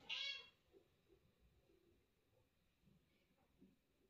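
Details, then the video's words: Chatty mother cat talking with her kitten and owner: one short, bright, clear meow at the start, followed by quiet room noise with faint soft knocks. "Общительная мама кошка мяукает и разговаривает с своим милым котёнком и хозяйкой"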